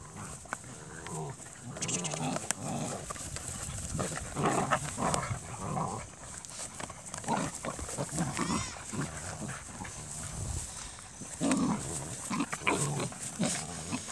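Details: KNPV Dutch Shepherd x Belgian Malinois puppies making a busy mix of low grunting snuffles and short high whines, with thin squeaky calls sliding upward now and then, the sounds overlapping in an irregular stream.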